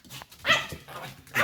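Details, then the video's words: White Pomeranian dog indoors at home, barking when its owners are about to leave; two short sharp barks about a second apart, with faint speech in the background. "Собака Померанский ШПИЦ ГАВКАЕТ"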